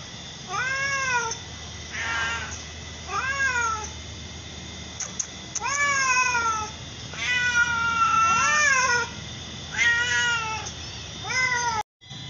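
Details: A mother cat and her daughter, both the same colour, trade a run of about ten arched, whiny meows over twelve seconds, irregularly spaced, some overlapping, ending in a brief silence.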